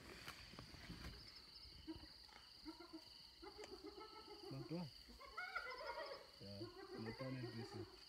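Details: Hyenas fight over an impala carcass stolen from the leopard Little Bush and her cub, near Selati Camp. Low groans and rumbling growls mix with wavering squeals against steady background hiss.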